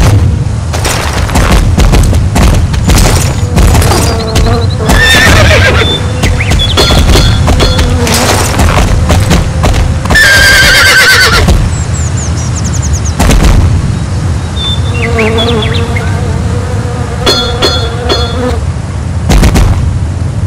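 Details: Horses neighing in drawn-out whinnies that shake and fall in pitch, heard in several bursts, over a steady low buzzing drone with frequent sharp knocks and clicks throughout.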